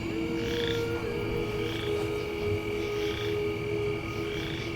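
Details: Chorus frogs, possibly boreal or western, give short, rasping, rising trills about once a second at night in autumn in swampy farm fields, half-buried under crickets, grasshoppers and probable katydids.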